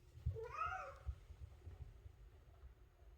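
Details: Maine Coon cat indoors giving an unusually loud meow, scolding its owner for oversleeping; one drawn-out, rising then falling wail lasting about half a second, followed by low room rumble.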